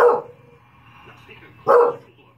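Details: Pet English bulldog watching the Puppy Bowl on television, giving two brief, rough, mid-pitched barks spaced under two seconds apart over a quiet background hum from the TV.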